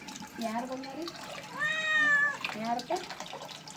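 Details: Pet cat being given a bath lets out one long, level meow in the middle, framed by softer murmurs, with music and a human voice in the background.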